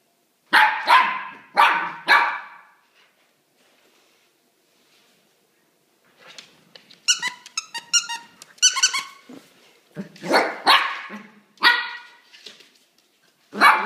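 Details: Domestic dog inviting its new stuffed toy bunny to play: three loud barks about a second apart, a quiet pause, then a run of high yelping, whiny yips, followed by more barks and a final bark.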